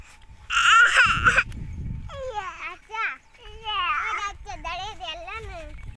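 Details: Morning bleating of goats on their way to a village jungle: quavering, wavering cries repeated in bursts over several seconds, after a brief loud noise burst at the start.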